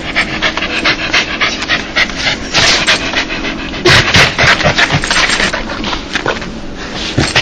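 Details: Joyful dog 'laugh', given when happy: quick, uneven breathy pants, about three or four per second, growing louder midway, with soft rubbing noises and a low background hum.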